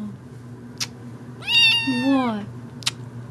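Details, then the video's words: Female kitten indoors crying for attention: one meow that starts high and bends downward over about a second, with two sharp clicks before and after and faint low background hum. "Meowing kitten"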